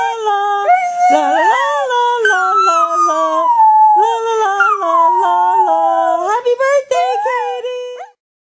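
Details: A Cairn Terrier howls along as its owner sings Happy Birthday, as they do together every morning, in drawn-out, tuneful notes gliding up and down in pitch, in sustained phrases broken by brief pauses and yips.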